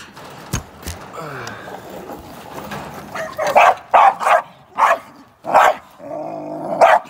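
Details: In training for ADBA top dog shows, a young American Staffordshire Terrier bursts into a run of loud, evenly spaced barks in the second half, after an opening of low background noise and murmuring.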